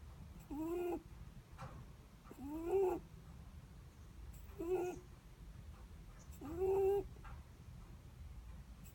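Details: Netherland Dwarf rabbit asleep, giving its breathing snore: four brief rising squeaks with a soft hiss of breath, spaced roughly two seconds apart, against a quiet low room rumble.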